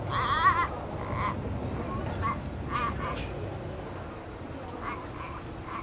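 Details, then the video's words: A baby goat gives a high, wavering bleat, followed by shorter bleating bursts; it had been making weird noises and trying to ram a little black goat. "baby goats making weird noises"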